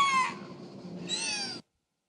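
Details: Wiki, a 14-year-old female killer whale (Orcinus orca), mimics human speech with two strained, harmonic syllables, like a squeaky "one, two."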